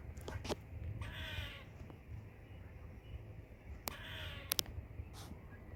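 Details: Squirrel chirping: two harsh, buzzy, noisy calls about half a second each with faint falling overtones, plus a few sharp clicks, over a steady low rumble of background noise.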